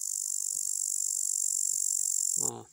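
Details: A male upland green bush-cricket (Tettigonia cantans), perched singing on a twig, gives a continuous, high, hissing buzz made of very rapid pulses.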